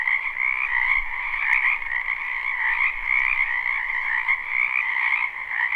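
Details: Spring wetland frogs in a live recording without looping: a constant, buzzing chorus of many trilling callers, slightly swelling and fading, with a soft low rumble and a single click.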